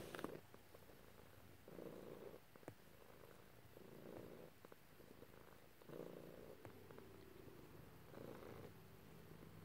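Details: Pet cat purring as it is stroked at home, a quiet continuous rumble rising and falling in long breath cycles about every two seconds, with faint clicks and handling noises.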